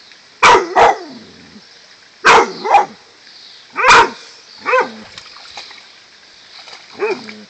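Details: A dog at a lake house, baffled by seaweed it sees underwater, gives pairs of sharp barks with a few single ones, about five bursts over seven seconds, while a person urges it to go get it.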